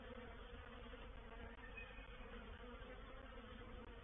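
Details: Honey bee swarm moving into a bait hive at Painted Peacock Manor on 04/07/21; continuous low buzzing drone from numerous bees, with small dips in loudness near one and a half seconds.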